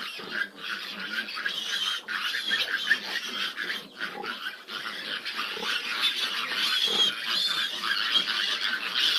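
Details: Squealing chorus of fifteen grown piglets around a sow having difficulty nursing; shrill, overlapping squeals packed closely together with no pause, steady in loudness across the recording.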